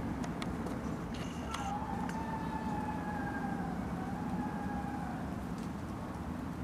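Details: Gray wolf (Canis lupus) at Como Park Zoo, Saint Paul, Minnesota, gives a long, steady afternoon howl that holds one pitch and slowly sinks, over low background rumble.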